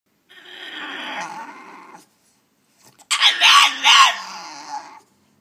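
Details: French Bulldog caged indoors, vocalizing to be let out of its cage in a way that sounds like talking: two drawn-out, wavering moaning whines, the second louder and more strained, separated by a second of silence.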